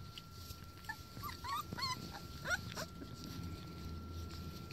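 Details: Four-week-old Border Collie puppies on their first time playing outside give a quick run of high, squeaky whimpers and yips. The notes rise and fall, about eight packed into two seconds, over a steady low outdoor rumble.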